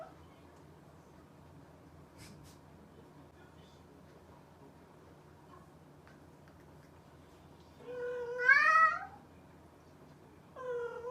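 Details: Pet cat indoors giving a rising meow late in the stretch, followed by the start of a second one, after a long quiet spell with a couple of faint knocks and low room hum.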